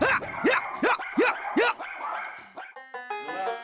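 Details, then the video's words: Luna and Louis, a mother-and-son pair of white miniature schnauzers aged nine and six, bark fiercely at a crew entering their yard: six sharp, rising barks in quick succession, then music takes over. "집 마당에 들어서자마자 제작진을 향해 격하게 짖어대는 루나(화이트 슈나우저, 9살), 루이(화이트 슈나우저, 6살)"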